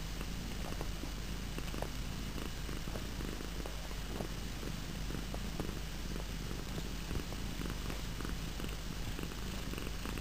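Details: Low, even purring from pet cats at home runs through the whole stretch, with light crackling on top.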